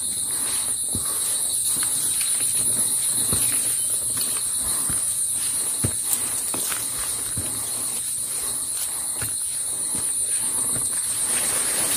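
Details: Cicadas (tonggeret) calling without pause in daytime forest on the Cemara Sakti trail up Mount Slamet: a shrill, steady high hiss with a fainter lower band running unbroken throughout, over hikers' footsteps and light rustling.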